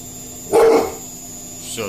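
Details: Domestic dog barking at its own reflection after hearing a noise on a balcony: one loud, short, harsh bark in an indoor room, then quiet, with a brief faint voice at the end.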